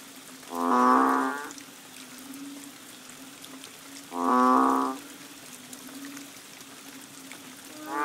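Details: Banded bullfrog calling during the rains at Koh Lanta, Thailand, in March 2011, near a bungalow: two drawn-out, low, cow-like moos about three and a half seconds apart, a third beginning at the end, over a steady low hum.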